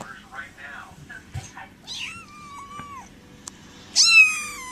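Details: Kittens being introduced one by one indoors: faint mews early, then a clear drawn-out mew near the middle and a loud, sharp high cry at the end, with quiet talking throughout.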